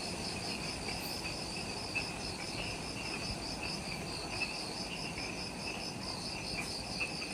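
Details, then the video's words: Insects calling in the jungle at the Mount Omoto trailhead, Ishigaki Island, Okinawa, Japan, at twilight just after sunset: a dense, steady chorus of rapidly pulsing high trills in several pitch layers over a soft low background rumble. "Forest Twilight Sounds – Ishigaki Island | Relaxing Jungle Ambience with Insects"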